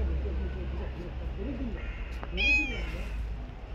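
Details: A stray cat on the street lets out one brief, bright rising meow amid overlapping human speech and a steady low engine-like hum.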